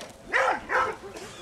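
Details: German Wirehaired Pointer baying a mechanical bear at the 2011 Koria wilderness fair in Finland, approaching from behind and dodging head-on meetings; two sharp, harmonic barks about half a second apart, then a softer third, with faint background murmur.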